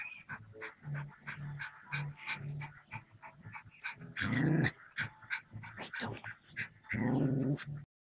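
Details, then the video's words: A puppy attacking a king cobra, snarling and growling in rough bursts. Short snuffling yips and pants run throughout, broken by two loud, harsh growling outbursts midway and near the end. "Puppy Attacks King Cobra!!!!"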